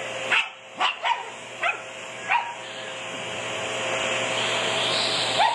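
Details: Sophie, a pet Shih Tzu who loves anything with a motor, barks excitedly at a running vacuum cleaner: five sharp yaps in the first two and a half seconds, then only the steady roar of the vacuum.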